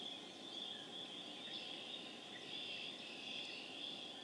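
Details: Chorus of spring peepers recorded April 27, 2011 in Harvard, Massachusetts; an unbroken, pulsing high trill of countless overlapping peeps, fairly even in loudness throughout.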